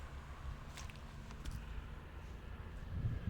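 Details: Quiet outdoor ambience by ponds in toad season, with low wind rumble, a distant vehicle and faint footsteps, and no animal calls.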